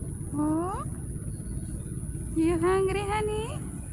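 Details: Street cat giving two meows, the first short and rising, the second a longer drawn-out wavering mew, with a quiet low traffic rumble beneath.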